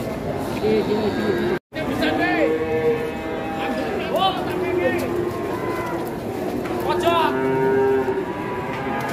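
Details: Giant fattened cattle arriving as a group in Indonesia give loud lowing moos, several overlapping calls that rise and fall, repeated through the clip, with people talking in the background.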